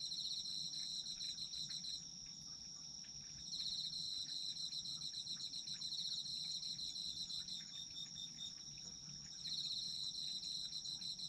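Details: Autumn insects singing together for sleep listening: an unbroken high-pitched ringing trill with a rapid pulsed chirping trill on top. The pulsed singer pauses twice, once around the second to fourth seconds and again near the ninth, then returns.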